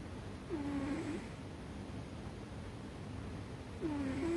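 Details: Sleeping American Shorthair cat called Ame-chan, resting on a chest of drawers, snores loudly: two drawn-out tonal wheezes with a slight wavering pitch, roughly three seconds apart, over a faint low-frequency background noise.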